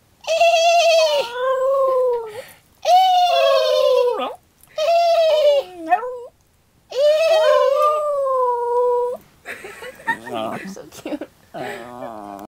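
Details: Female Westie aged two answers human horse-noise imitations with howls, ignoring dog howls; four sustained tonal howls, some bending and breaking at the ends, separated by short pauses, then laughter and chatter close by.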